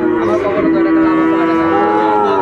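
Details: A Sahiwal bull calf lows at Ambari Haat cattle market, Dinajpur, on 11 March 2024 as Ramadan begins. Long, level bellow that lifts slightly toward the end, with a low murmur of people in the background.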